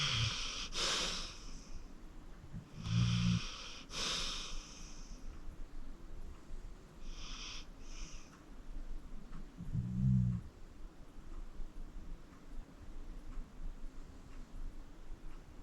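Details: Acorn, a 14-year-old pit bull adopted from the Cuyahoga County Animal Shelter, snores while sleeping indoors: short low snorts alternate with hissing, wheezy exhalations, spaced irregularly over a quiet room background.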